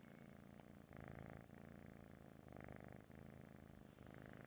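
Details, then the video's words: A sleeping British Shorthair kitten purrs and snores steadily, a low rumbling vibration that swells and eases with each breath. "Snoring cat 😁 Purring Sleeping Cute Cat Coco"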